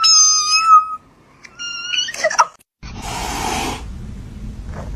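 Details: Kittens giving two short, thin, high-pitched meows, the second quieter and briefer, followed by a sudden burst of loud broadband noise.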